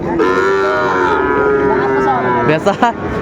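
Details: A Sahiwal bull calf at the Ambari haat cattle market on 13 January 2025 gives one long, steady, tonal moo lasting about two seconds. A few sharp knocks and bursts of market noise follow.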